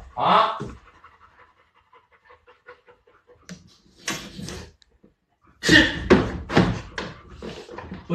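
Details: Dog panting during a patience contest between a Labrador called Laoda and a Teddy called Shiliu: rapid, breathy, noisy huffs in bursts, quiet at first and then loud and continuous near the end, with faint voices.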